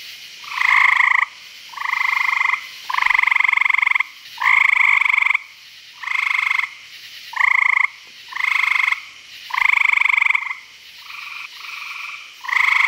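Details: Frogs calling at night at a pond in Virginia: buzzy, pulsed trills about a second long, repeated in close succession, several callers overlapping at different loudness, with short gaps between calls.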